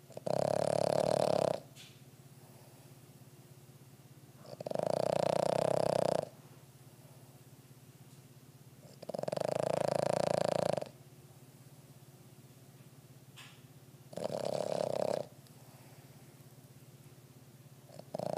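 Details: A worn-out Boston Terrier, deeply asleep and hard to wake, snores loudly in rasping breaths that come roughly every four to five seconds.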